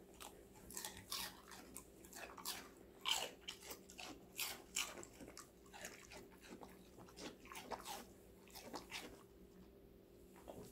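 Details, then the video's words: Crisp, rapid bites from Connie, a female Golden Retriever puppy of five months, crunching raw vegetables indoors. Dense clicking crunches run steadily throughout, fading slightly toward the end, with a low background hum. "강아지 각종야채 먹방 l 사각사각사운드 🌿Various vegetavles🌿REAL SOUND"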